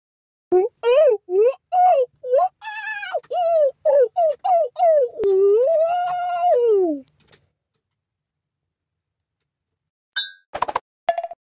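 A monkey gives a quick run of clear, rising hoots that swell into one long wavering howl.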